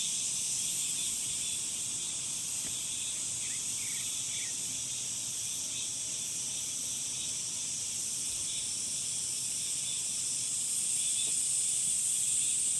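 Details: A summer cicada chorus: a constant sizzling high drone, with a few faint chirps near the middle and a sharper, brighter whine layered in toward the end.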